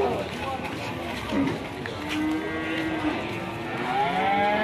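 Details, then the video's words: A raging, fierce cow that alarms its owner lets out short lowing moos, then a longer rising bellow near the end, against a noisy background. "Kumpulan Sapi Galak Ngamuk"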